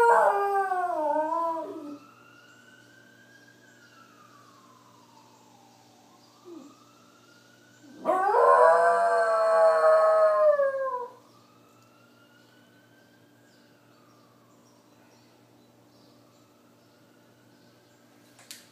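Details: Dog howling in response to a siren: wavering howls at the start, then a long loud sustained howl, while the siren's slow rising and falling wail continues between and after.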